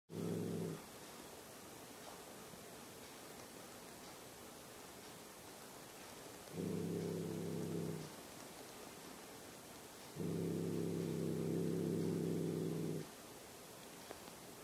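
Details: Cat growling at a German Shepherd: low, steady, rumbling growls in three bursts, one brief, then about one and a half and three seconds long, separated by quiet pauses.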